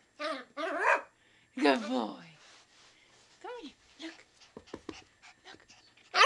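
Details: A Schipperke puppy gives high, wavering yelps and whiny barks while being encouraged and learning to speak on command.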